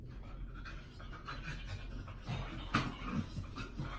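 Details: A teacup poodle at a pet shop panting in quick, soft, breathy bursts about twice a second, faint against a steady low hum, with one sharper click or knock near the end.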